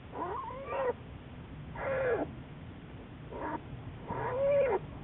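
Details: American black bear Juliet, studied by Wildlife Research Institute biologists, recorded on March 1, 2014: four tonal, arched calls each under a second, some rising then falling, separated by short gaps, with a steady low background hum.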